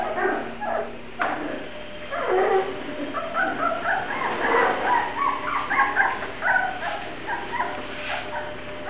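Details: Young Grand Basset Griffon Vendéen pups at the Viersenhoeve kennel whimpering and squeaking almost without a break, overlapping high thin cries that rise and fall, heard indoors.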